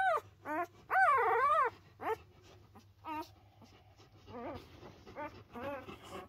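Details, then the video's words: Pyrenean Mountain Dog puppies under a week old, three born to one mother on a farm, loudly protesting: a series of harmonic whines and yelps with wavering, rising-falling pitch, one longer quavering cry, bursts separated by short pauses. "Pyrenäenberghund Welpen früh übt sich"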